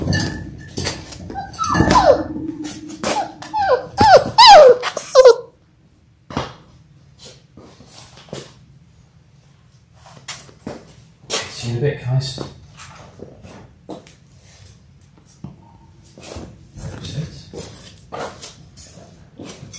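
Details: Six Labrador Retriever puppies in their sixth week, born January 18, 2022, on a live puppy cam. Thin, wavering whines rise and fall through the first five seconds, followed by quiet scuffling, clicks and soft movement.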